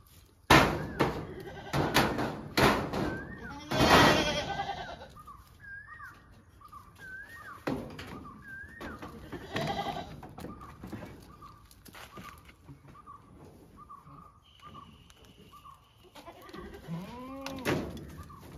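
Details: Domestic goats with a few scattered nasal bleats among loud knocks and clattering. Repeated short bird chirps run through the middle, with another bleat near the end.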